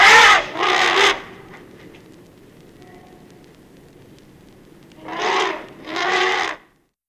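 African elephant trumpeting in loud, harsh paired blasts while a mother defends her calf.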